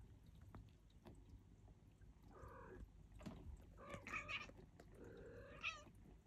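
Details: Feeding-time Turkish Angora kittens mewing in overlapping bursts: four or five high, bending cries, some rising then falling, clustered toward the end, over soft munching and rustling.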